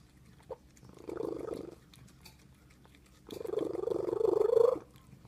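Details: Domestic cat giving two long, mournful yowls, the first softer and shorter, the second louder and rising in strength before cutting off, against a quiet indoor background.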